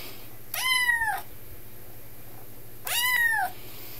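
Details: Indoors, a talkative Highlander kitten aged 10 weeks, second day in its new home, calls twice: loud, bright meows rising then sliding down, each under a second, separated by a pause of about 1.5 seconds.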